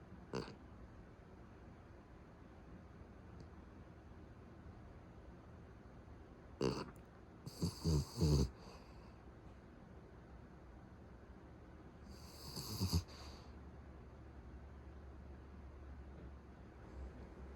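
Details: Sleeping pet Beagle with a heavy snore, said to escalate until it sounds like an old man: a quiet room broken by a short snort near the start, a cluster of deep rattling snores around eight seconds, and another throaty snore later.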